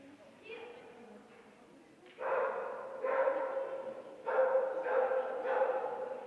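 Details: Bearded Collie named Micki, two years old, at her third A1-class agility tournament; a series of loud, harmonic barks in short bursts, about five in the second half, over a low murmur of background noise.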